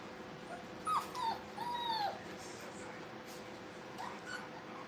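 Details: Brittany puppies at playtime in a training kennel give a couple of thin, whistled whimpers sliding downward, one short and one longer, against a steady low hum and quiet room noise.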